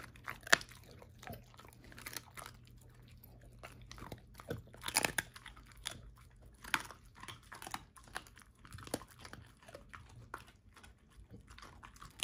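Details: Ava, a 13-year-old German Shorthaired Pointer, eats a whole dehydrated turkey wing for breakfast for the first time: sharp, irregular bone crunches and wet chewing clicks in bursts, loudest near the fifth second, over a low indoor hum.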